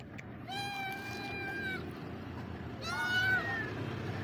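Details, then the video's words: Hungry stray street cat meowing: two drawn-out, harmonic-rich meows, the first long and level, the second shorter and wavering, over steady low traffic-like rumble. "The sound of a hungry street cat will melt your heart"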